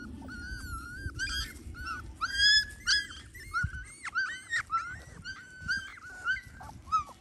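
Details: Border Collie whimpering: clear, high, wavering whines come in quick bursts, several voices overlapping, each cry sliding up then down, over a faint low hum.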